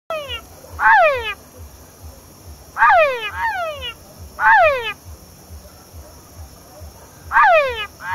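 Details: Male Engystomops pustulatus calling at La Mana, Cotopaxi province, Ecuador; loud descending frequency-sweeping whines with rich harmonics, often paired, about every two seconds, over a steady insect hum and low pulsing background noise.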